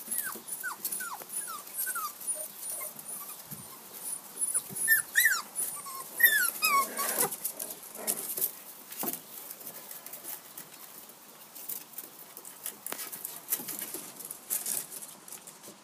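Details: Six-week-old Jack Russell Terrier puppies of FCI standard from a Q-litter give high, thin whimpers that slide downward, several in quick succession near the start, followed by scuffling, rustling and sporadic fainter whines.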